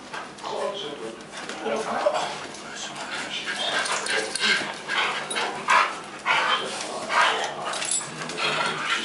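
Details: Indoors, a group of pet dogs tease for a bite of food, Harry making most of the noise; high whines and sharp yips recur every second or two beneath people chatting.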